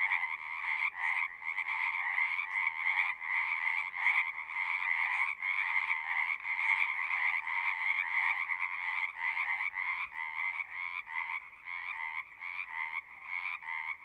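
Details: Frogs calling at a pond in a horse pasture, recorded on a Zoom: a softer chorus of repeated trilled pulses, roughly one burst per second, broken by brief gaps and growing more separated toward the end.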